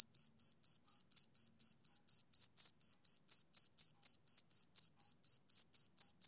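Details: Summer-evening song of a male cricket, a string of sharp high chirps following one another at an even pace, roughly three to four each second, with no other sounds.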